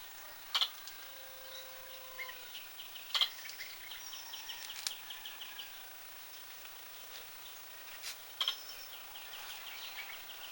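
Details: Squirrel producing sharp, high hiccup notes at irregular intervals, interspersed with background bird whistles and chirps and a thin, steady tone.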